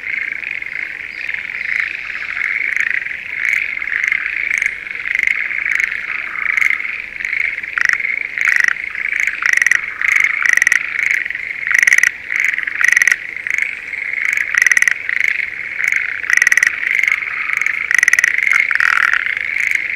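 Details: Spring paddy chorus of Schlegel's green tree frogs near Sendai, breeding season: overlapping high rattling croaks form a continuous band, punctuated by sharp, loud pulsed bursts roughly every second, with faint insect-like trilling beneath.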